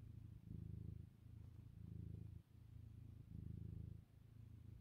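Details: Purring cat settled on a sofa, kneading around lunchtime: low vibrating drone in regular waves, louder stretches alternating with softer ones about once a second, brief gaps at each breath change, no other sounds.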